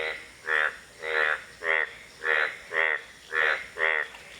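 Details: Indian bullfrog calling; a series of seven short, nasal, pulsed croaks repeated about every two-thirds of a second, with a steady background hiss.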